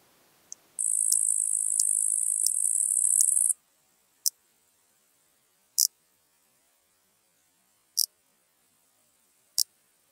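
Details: Large marsh grasshopper singing in Elsbethen, Austria, on 26 September 2021, recorded with an ultrasound detector and noise removal: a loud high hissing burst of nearly three seconds, then sharp isolated ticks spaced about one and a half to two seconds apart.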